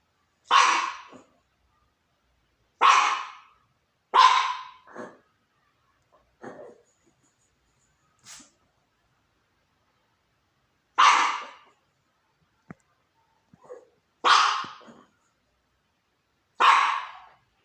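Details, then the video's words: Little pup on the couch barking at the neighbours: sharp, bright barks singly and in pairs, spaced a few seconds apart with quiet gaps and a few softer yips between. "Little pup on the couch barking at the neighbours."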